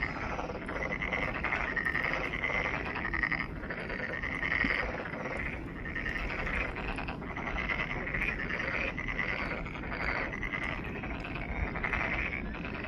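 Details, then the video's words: Frogs calling at Monet's Pond in Ulsan National Garden, South Korea: a dense, steady chorus of many overlapping croaking, trilling voices, continuous throughout with no pauses and a low background rumble. "울산 국가정원 모네의 연못 개구리 소리"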